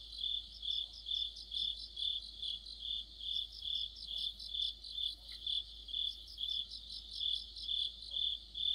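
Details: Autumn insect chorus led by crickets near a streetlight, high chirps pulsing roughly twice per second in a regular beat, overlaid by thin upper trilling, otherwise a quiet background.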